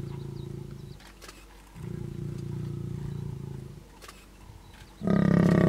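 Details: Mating lions at the Masai Mara in Kenya give deep, rumbling growls that end in a sudden loud, harsh roar.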